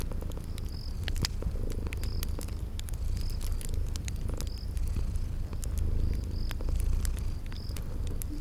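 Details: Purring of sleeping kitties near a crackling fire in a spring garden scene: an even, low vibrating drone beneath scattered crisp pops, with thin high chirps returning roughly once a second.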